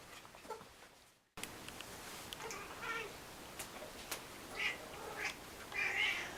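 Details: Funny noises from a domestic cat: after a brief silence, several short, high chirping meows follow one another, with a few clicks heard indoors.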